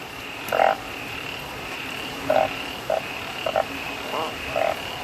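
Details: Bullfrogs calling in the wild during heavy rain in the rainy season; short, nasal croaks given singly or in quick pairs at uneven intervals over a constant rain hiss.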